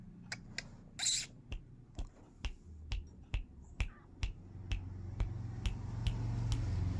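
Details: Sharp, dry clicking taps, roughly two per second and unevenly spaced, sound over a low rumbling hum that slowly swells; no animal voice can be picked out.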